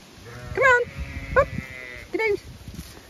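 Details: Zwartbles ewes on a regenerative farm in County Kilkenny, Ireland, chatty while their field is checked and expecting to be fed: three loud wavering bleats with rich harmonics, the last one shorter, over low wind rumble.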